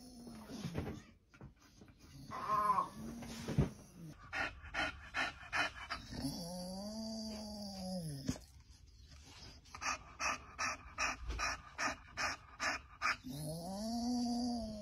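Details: Great Dane–German Shepherd mix, a former service-dog trainee, panting in rhythmic bursts of quick breaths, interrupted by stretches of other tonal sounds and background noise.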